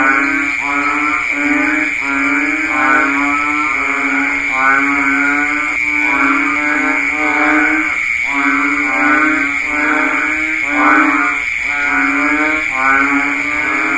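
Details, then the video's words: Banded bullfrogs give deep, nasal, bleating calls in the rainy season, repeated steadily over a continuous high insect drone. "ស្តាប់សំលេងសត្វហ៊ីងនារដូវភ្លៀងធ្នាក់ / Sound of Banded Bullfrog"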